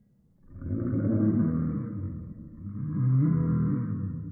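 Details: Toy Poodle (Canis lupus familiaris) gives two long, low, rumbling roars, each about two seconds, one right after the other.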